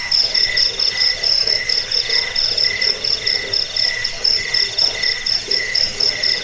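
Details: Cricket chirping, offered as a rat repellent, sleep aid and tutor sound for training songbirds: rapid, regular shrill pulses, about four per second, with high bright tones stacked above a steady trilling background.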